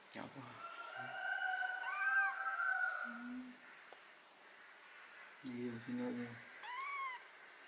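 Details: Domestic cat handled during removal of botfly larva, ringworm, fungus and blackheads from its skin, giving long drawn-out meows, one wavering up and down, then a short rising-falling meow near the end, with people talking quietly in Indonesian.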